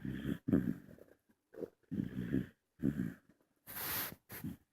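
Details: Young female bulldog asleep and snoring indoors: short, low, rasping snorts in quick pairs, separated by silent pauses, followed by a brief hissing rush of breath.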